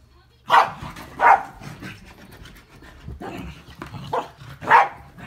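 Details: During a chase between two agile corgis, one corgi gives sharp, loud barks in short bursts, with pauses of a second or more between them.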